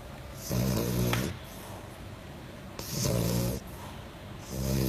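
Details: French Bulldog asleep, giving three loud guttural snores about every two seconds, each a low vibrating rumble with a hissing airy edge, quiet breaths in between.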